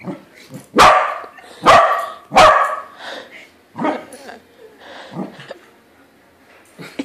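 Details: Corgi confronting a balloon corgi indoors, barking three times in quick succession with strong, sharp onsets, then trailing off into softer, lower grumbling barks and a quiet yip.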